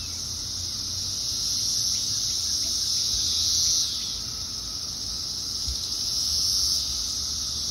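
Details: Thousands of Brood X periodical cicadas chorusing in a tree in Fairfax, Virginia, 2021: a steady, high, hissing buzz that swells and fades in waves.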